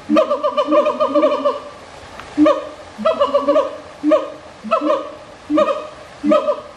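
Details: Siamang calling in repeated bursts, a long chattering run of pulsed, laughing notes at first, then shorter ringing phrases spaced about every 0.7 seconds, full and harmonic, with nothing else clearly heard.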